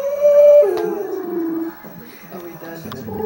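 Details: A female pet dog indoors holds a steady high howling note, then slides it downward into a lower drawn-out moan. Softer, faltering vocal sounds follow.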